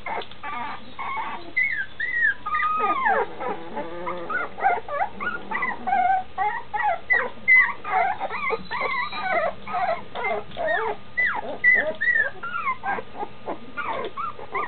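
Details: Litter of standard schnauzer puppies almost two weeks old and nearly walking, crying for their mom; dense chorus of high, bending whines and yelps, continuous and overlapping, with a soft wavering moan early on.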